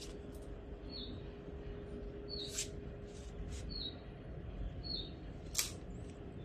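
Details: A puppy learning to sit, asking for food. It gives short, high, squeaky whines that dip slightly in pitch, about four of them roughly a second apart. Sharp clicks and a steady low hum sound in the background.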